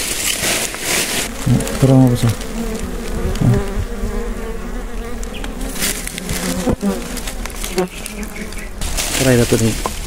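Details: Swarm of wild honey bees droning during a wild honey harvest in the Philippines; a steady layered hum with wavering harmonics, broken by loud close thumps, rustling and handling noise.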